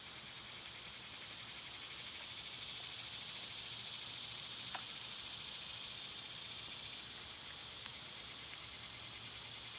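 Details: Summer cicada chorus, filmed on a day when the insects were at their quietest: a steady, high, hissing drone without a break, with a faint pulsing texture and a few soft clicks in the background.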